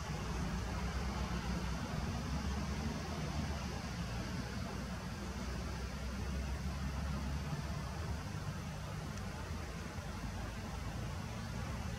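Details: Steady low engine rumble like a car or idling vehicle, with broadband noise and no animal voice.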